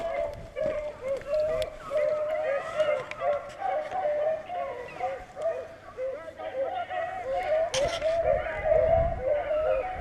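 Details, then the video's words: A pack of beagles running rabbits in Vera, Virginia, in full cry: dense, continuous chorus of short, repeated mid-pitched bays, several per second, overlapping voices steady for ten seconds, with occasional clatter. "Lots of noise in Vera Va. Beagle power"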